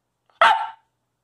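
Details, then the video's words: A Coastal Wolf puppy named Covi gives one short, loud, harsh bark of about a third of a second while chattering for treats as someone tries to eat. The bark carries a bright, noisy, mid-pitched tone with no other sounds. "I don't have to ask him Speak or Bark anymore. He just do! Coastal Wolf Puppy"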